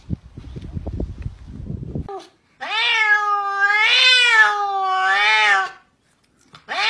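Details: Pet cat giving long drawn-out meows indoors, two sustained wavering calls each lasting over a second, rising and falling slightly, after a stretch of soft rustling noise; a third meow begins at the end.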